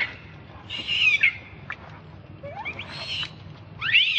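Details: Young monkey begging for milk with thin, squealing cries that bend up and down in pitch. Three short wavering outbursts are separated by near silence.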